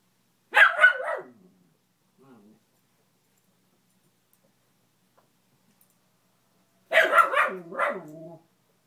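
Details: Household dog scared of a fallen Spider-Man lamp, apparently the beagle: one short loud burst of yappy barks, a faint yip, long quiet, then another barking burst trailing into a lower wavering howl.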